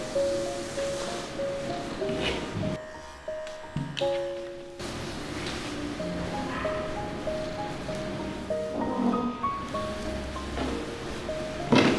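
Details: Melodic background music with sustained tones and a brief pause, with no animal voice.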